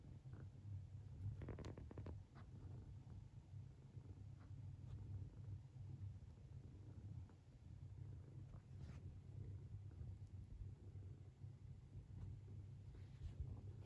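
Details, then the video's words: Deep, droning snore from a sleeping Munchkin kitten with long legs, wearing a comical sleeping face; the low rumble runs without pause, broken only by brief taps and rustles early on. "滑稽な寝顔でいびきをかく猫 Snoring kitten's funniest sleeping face"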